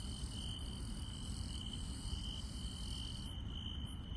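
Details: Insect chirping on a rural night: a high steady trill with layered higher sustained tones that shift partway through, over a constant low background rumble.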